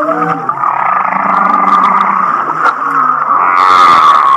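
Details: Humpback whale song described as sounding like laughter, recorded off Kihei, Maui: a steady, rough, buzzy tone with low warbling harmonic moans beneath, and a brighter rising whine appearing near the end.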